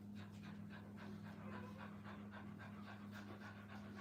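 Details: Rapid, even panting from puppies kept with their mother at a kennel, soft airy pulses running without pause against a constant low hum.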